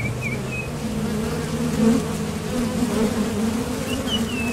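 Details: Many honeybees at the entrance of a top bar hive, leaving and landing while foraging for nectar, make a steady low droning hum, with a few faint bird chirps; western honey bee.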